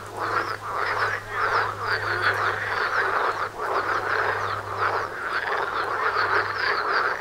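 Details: Frogs calling in a dense chorus right outside a front door, many overlapping croaks forming a continuous rattling din with no pauses, a steady low hum running underneath.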